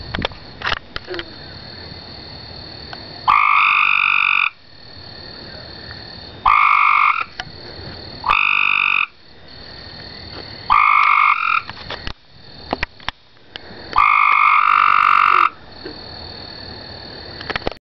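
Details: Two gray tree frogs calling from a neighbour's backyard pool give loud, musical trills, each about a second long, repeated every few seconds.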